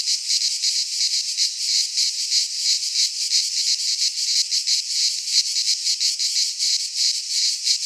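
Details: Greek pine forest cicadas singing in midsummer: a high, grating, continuous buzz with quick rhythmic pulsing and mild rises and dips in strength, no other sounds present.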